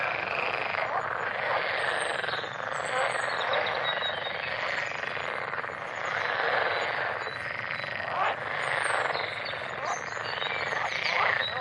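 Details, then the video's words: Massed frogs giving a steady, churning chorus of rapid rasping pulses, with brief louder surges and a few thin high chirps overhead. "Frogs Go Crazy! - Frog Sounds"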